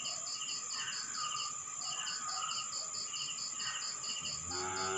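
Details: Crickets at night in a rural Philippine town, a steady pulsed chirping repeated many times per second in high bands over a constant insect hum, with another insect trill higher up and a brief engine-like sweep near the end.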